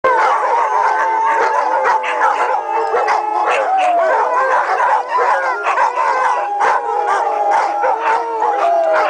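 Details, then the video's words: A pack of dogs howling together, long sustained wavering tones overlapping and sliding up and down, with several voices blending into a continuous chorus and occasional yips breaking through. "Dogs Howling"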